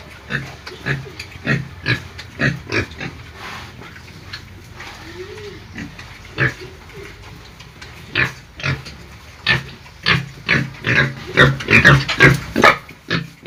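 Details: Pigs squealing, heard as a run of short, harsh, broadband grunting bursts at roughly two per second, sparse at first, then denser and louder toward the end with some higher, squealier notes.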